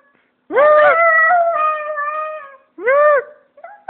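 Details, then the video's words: Japanese Spitz kept as a pet, howling at a phone indoors: a drawn-out, wavering howl of about two seconds, then a shorter rising-and-falling howl, with a brief faint tone at the end. "Japanese Spitz Howl"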